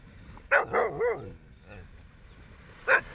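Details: Dog on a sunrise beach walk giving a short run of three quick barks, then a single sharp bark near the end, over a low murmur of background noise.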